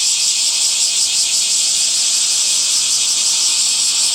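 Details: Summer cicadas keep up a loud, continuous high buzz, its texture wavering slightly as overlapping callers swell and fade.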